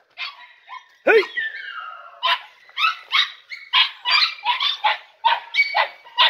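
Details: Three-and-a-half-month-old Podenco Andaluz pups from one litter, first time inside a riding ring, deliver a steady series of sharp, high-pitched barks, roughly two a second, opening with a single lower, sliding yelp.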